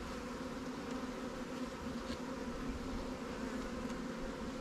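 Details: Honey bee swarm hive, a new Langstroth or Warré colony, opened for inspection in a backyard apiary. A constant, thick, low buzzing fills the whole stretch, unbroken and steady in loudness.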